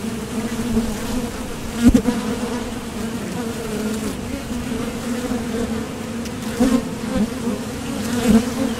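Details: Steady droning of honeybees coming and going at a Top Bar Hive entrance during nectar foraging, a vibration from the thoracic muscles; continuous low hum with a clear overtone and a few louder surges as bees fly near, plus a sharp knock near two seconds.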